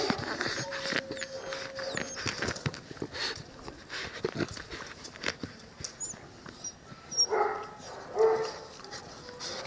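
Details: Sturdy nine-week-old Cane Corso puppies making brief high whimpers among scuffling and clicking movement noises, followed by two louder, sharp yelps spaced about a second apart toward the close.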